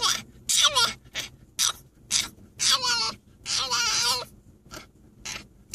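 A French Bulldog gives repeated high, wavering whines and yelps in protest at a car ride.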